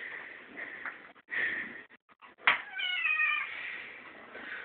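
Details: Hungry pet kitten at feeding time, indoors: soft background mewing and brief clatter, then one loud, drawn-out meow that rises and falls with ringing overtones, followed by quieter continued mewing.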